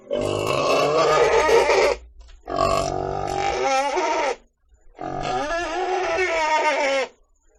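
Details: Three long, shrill, noisy squeals from a pig, each about two seconds, with slight pitch wobble and short silences between.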